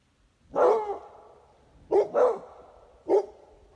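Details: Pitbull and Beagle (Basset Hound mix) dogs barking: one long, drawn-out bark, then a quick double bark and a single closing bark, all mid-pitched and resonant in a quiet room.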